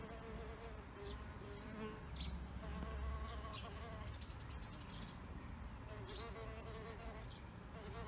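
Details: Residents of a bee hotel in flight, their droning wingbeats forming a steady, slightly warbling hum, louder near the middle, with a few faint high ticks.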